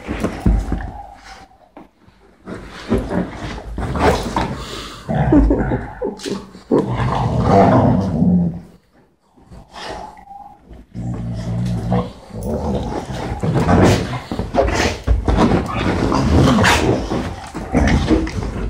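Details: Dogs on a sofa, giving rough, low growls and gruff barks in dense, overlapping bursts that run almost without a break, with one short lull midway, in an indoor room.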